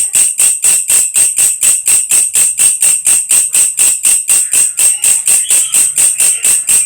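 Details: Belalang kecek grasshopper, also called belalang krek-krek or belalang kerik, used as a tutor sound for lovebirds: sharp high metallic chirps repeated steadily about twice per second, dry and rattling, with no other sounds.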